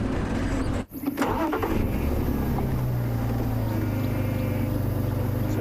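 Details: A vehicle engine rumbles steadily with a low drone and faint speech, and no animal calls stand out.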